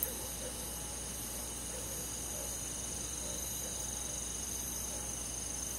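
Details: Crickets and other insects of a countryside forest on a summer night, a steady high shimmering chorus of rapid pulsed chirps, many callers overlapping without pause, with a soft low background hum.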